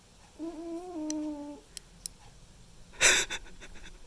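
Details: Sleeping domestic cat Mimi, a white and ginger male, makes a tonal, slightly wavering snore lasting just over a second, followed by soft clicks and a sharp, loud rustling burst in a quiet small room.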